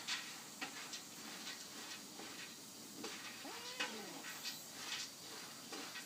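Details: Friendly stray cat rubbing up and pleading to be stroked, its voice still young-sounding; a single arched meow rises then falls midway, set against steady broadband hiss and scattered clicking noises.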